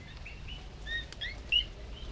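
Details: Male coqui frogs of Puerto Rico beginning their nighttime love chorus as rain comes in: scattered, clear, high whistled notes, some sweeping upward, over a soft hiss of jungle rain.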